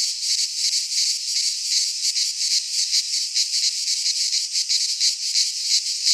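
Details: In a Greek pine forest during midsummer, cicadas keep up a steady high-pitched sizzling drone that swells and fades gently in slow pulses, with nothing else heard.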